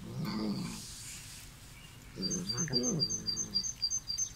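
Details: A visiting Bengal kitten makes loud, low, throaty murmuring growls in short bursts while eating, with quick high ticking sounds behind.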